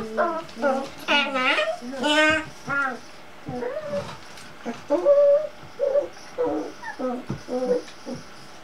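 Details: Cocker Spaniel puppies playing around a kitchen stool, giving rapid high yelps, squeals and whines, some rising then falling, in quick bursts throughout.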